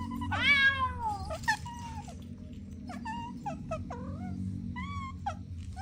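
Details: Kittens playing on the grass meow repeatedly: a strong opening meow that bends downward, then a quick run of short, clipped mews and chirps tumbling after one another, with a faint low hum underneath.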